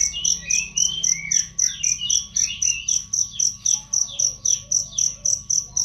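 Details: Cricket recorded as a training track for songbirds: a loud, clear, high chirp pulsing regularly about four times per second, mixed with frequent falling whistled bird phrases and a faint steady hum.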